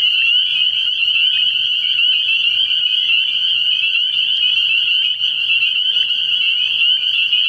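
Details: Spring peepers massed at a frog pond at night early in the year, their piercing high peeps fused into one steady, alarm-like shrill tone, with low faint pulsing in the background.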